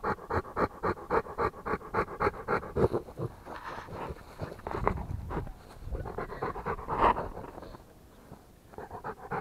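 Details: Rapid rhythmic panting from a Rottweiler, breathy bursts close together at first, then looser and uneven with a brief pause before resuming near the end.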